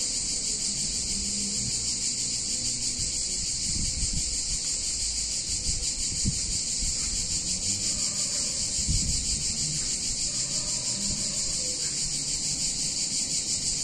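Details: Cicadas singing on a hot summer day in an Italian town: a dense, unbroken high shrill buzz holding steady throughout, with soft low rumbles and faint murmurs from the town underneath.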